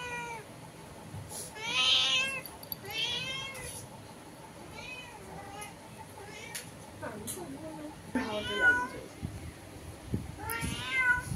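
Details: Cats call through a window, one inside and an unfamiliar visitor outside; several wavering, bending meows, some strained and wailing, mixed with quiet human voices and light tapping sounds in a small room.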